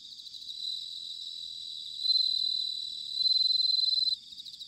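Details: Autumn bell cricket song recorded in Sanuki, Chiba, Japan: a near insect rings out clear, high, pure trills, swelling into a loud two-second phrase and a pulsed burst before stopping, with other crickets faintly behind.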